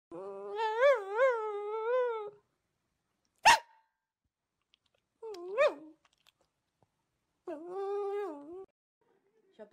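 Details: Dog "talking" to ask for meat: drawn-out whining howls with wavering pitch, each lasting one to two seconds, separated by pauses, with a sharp knock between them.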